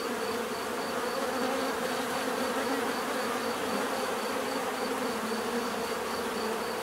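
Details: Continuous bee buzzing forms an unbroken, even drone, rich in low hum with a thin pulsing tone above, no other sounds standing out.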